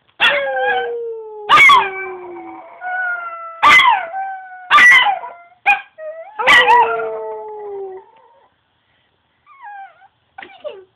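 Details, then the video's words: A Chihuahua at home mixes sharp, sudden yips with wavering, falling howl tones. The howls fade out over several seconds into faint, thin, whining notes near the end. "My Howling Chihuahua"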